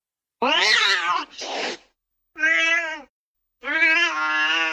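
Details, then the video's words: Cat meowing in four separate bursts, the first loud and harsh, the next breathier, then two clear harmonic mews with a steady pitch. "Tiếng mèo kêu. The sound of a cat meowing"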